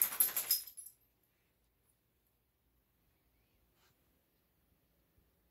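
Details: A brief metallic jingle like coins or keys fills the first second, followed by near silence.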